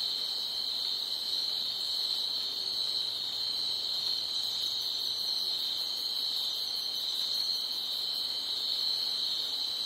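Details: Crickets chirping loudly at night, giving an unbroken high-pitched ringing trill made of rapid pulses, level and unchanging across the whole stretch.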